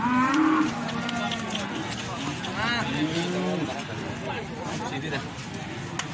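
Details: Young feeder cattle lowing at Plaosan cattle market, Magetan: a strong moo opens, then further rising and falling moos from other animals follow amid busy human talk and crowd noise.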